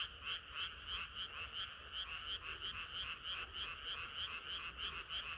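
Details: Frogs singing together on a hot summer night, loud clear croaks pulsing about three times per second in an even rhythm above a softer crowd of distant callers.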